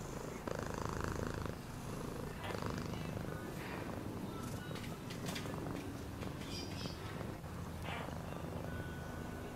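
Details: Pet cat purring, a deep vibrating rumble pulsing rapidly and evenly, accompanied by brief rustles and faint higher squeaks in the background.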